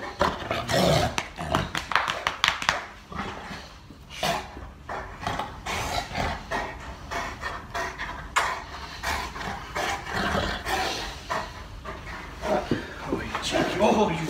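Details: Molly, a large Boerboel, play fighting with her owner indoors; continuous rough growling and panting in uneven bursts, with occasional human speech in a small room.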